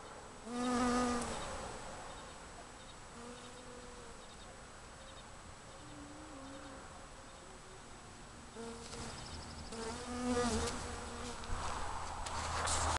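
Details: A bee in Alaska, feeding on very large dandelions, gives a low, droning buzz that comes and goes in bursts as it flies close by.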